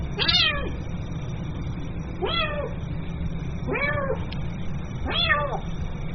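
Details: A kitten calls for its mother with four clear, bent meows about one and a half seconds apart, each sliding upward then dropping, against a constant low background rumble.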